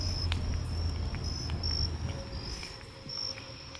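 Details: Nighttime crickets heard on an evening walk through town, their high trill pulsing in short bright bursts that swell and fade, with a softer lower tone near the end, all over a constant low hum of city noise.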